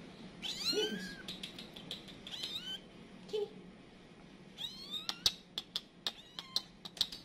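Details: Mother cat calling in a panic as her kittens scatter: thin, high, wavering meows and mews in short bursts, then a run of sharp clicking taps over a low background hum.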